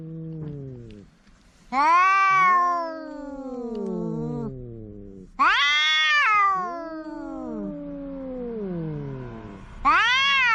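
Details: Two house cats quarrelling, squaring off in a narrow passage: loud drawn-out yowls rising then sliding down, overlapping harmonic wails with a low growl underneath, three bursts separated by brief quieter moments.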